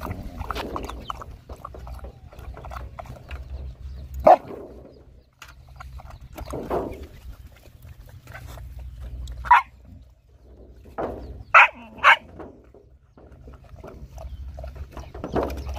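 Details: Poor hungry dogs and puppies at feeding time, with a mother dog nursing her young. Sharp, isolated barks come at irregular gaps, the last two close together, over a constant low hum and soft shuffling sounds.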